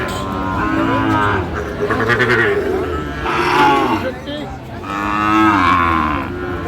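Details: Sahiwal bull among other cattle at a cattle market, with a Natore farmer buying, Bangladesh, 2 February 2025: drawn-out lowing moos rising and falling through the clip, mixed with people talking and bargaining close by.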